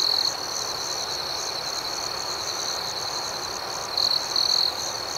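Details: Crickets calling at night with a sustained piercing trill and fast regular pulses above. Short louder bursts from a closer insect open the passage and return toward its end.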